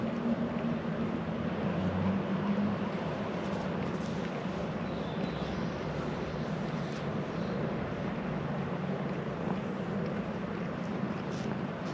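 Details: A loud, broad droning engine roar, like a passing aircraft or large vehicle, runs without a break.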